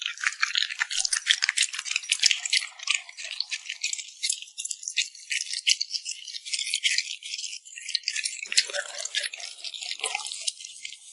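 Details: Cute puppy eating with noisy lip smacking, heard as a rapid, continuous rattle of sharp, bright clicks that thin out briefly partway through before resuming.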